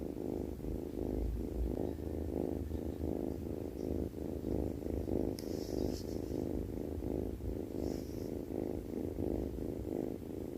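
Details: A cat snoring in its sleep makes a low, rapid, rhythmic rumble in close, even breath pulses, with a couple of faint sharp clicks midway.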